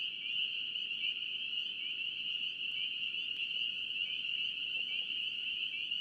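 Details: Spring peepers in North Carolina calling as a dense chorus: countless high, piercing peeps merge into one continuous shrill ringing band, with fainter overtones above and no other clear sounds.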